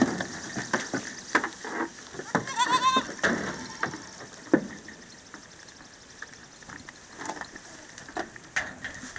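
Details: Short, shaky, vibrato bleat from a San Clemente Island goat mix herd in a fresh pasture, heard once early on, followed by thumps, knocks and a quieter stretch of low background noise.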